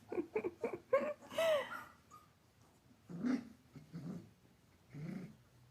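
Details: Playful Giant Schnauzer puppy in a small room: several sharp, high yips in quick succession, then a longer whine, followed by spaced, low, gravelly growls and huffs.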